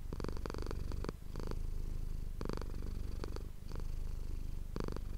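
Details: Manis, a domestic cat, purrs continuously into a close ASMR microphone; the deep, even rumble carries on under several short crackling rustles, with a brief dip just after the first second.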